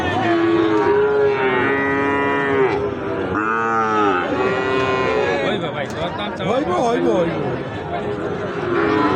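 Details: Sahiwal bull calves for sale at Ambari haat cattle market, held Fridays and Mondays; several overlapping nasal, harmonic bleating moos, some long and level, others rising then falling, repeating rapidly amid crowd noise and men's bargaining voices.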